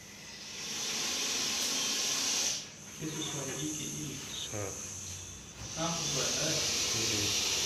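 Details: Captured in Coimbatore, a deadly venomous Russell's viper hisses in sustained airy rushes while people talk nearby, their voices audible beneath and between the hissing.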